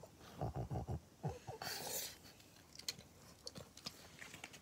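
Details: Pug named Maria in Japan, recorded on 25 June 2021: a quick run of low snuffling grunts, about six short pulses packed into the first second and a half, followed by softer rustling and scattered clicks.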